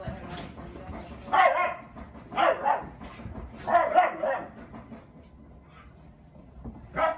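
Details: Skottke, a German Shepherd, at play indoors with a newly arrived puppy; three rough, rasping barks about a second apart, a quiet stretch, then one more sharp bark at the end over low background murmur.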